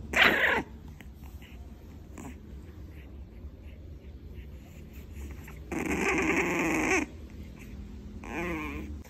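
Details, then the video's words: Playing for the first time, Jimmy, a 2-month-old Frenchie puppy, gives three separate bursts of barking on a couch. One opens sharply, a longer rough growling bark follows midway, and a shorter yappy bark ends it, with quiet gaps between. "Jimmy’s First Playtime: Cute, Grumpy, and Full of Barks!"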